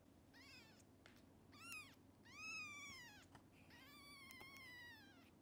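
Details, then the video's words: Kittens of the mother cat Xaxa, short of milk for her many young and given extra formula; a string of four high, arching meows, some drawn out and wavering, over a quiet indoor background. "I feed kittens extra formula, Xaxa takes care of many kittens but doesn't have enough milk for all"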